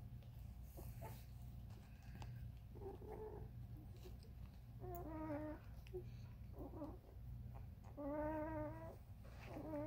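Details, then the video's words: Ruby's Vizsla puppies at day 13, a few thin, stepped whines in separate short bursts between quieter gaps, set against a strong low hum and faint rustling. "Ruby's puppies (day 13) Vizsla"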